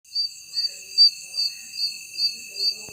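Night insects give a steady, high, ringing drone with brighter pulses about twice a second.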